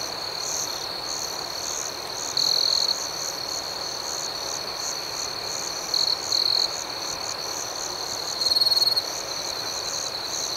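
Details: Night crickets keep up an unbroken high trill and a fast throbbing pulse above it. Louder, sharper chirp bursts come at about two and a half seconds, twice around six seconds, and again near nine seconds.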